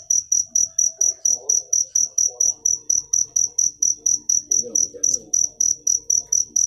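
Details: Rapid regular cricket chirps, each a bright piercing tone repeated roughly three to four times a second without pause; soft muffled speech-like sounds drift faintly in the background.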